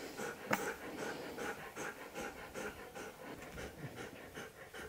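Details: Siberian Husky panting in quick, steady rhythm, about two and a half breathy huffs per second, soft and even throughout, with no other clear sounds around it.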